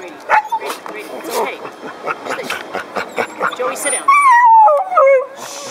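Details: One of two rescued Brittany dogs at the Corte Madera, California Fourth of July parade in 2012 gives a drawn-out whine falling from high to low over about a second as a vintage fire truck passes, amid crowd noise and talking.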